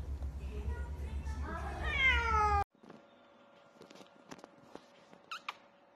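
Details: Cat giving a drawn-out, rising meow with rich harmonics over a thumping low beat, then an abrupt cut to a quiet room with scattered clicks, a steady hum and a couple of short high squeaks.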